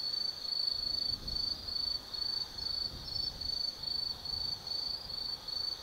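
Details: Autumn insects calling on a night in the forest of Tsukimi no Mori, Kaizu, Gifu, Japan: high chirping trills in short bursts, roughly two per second, rhythmic and regular over a quiet low background.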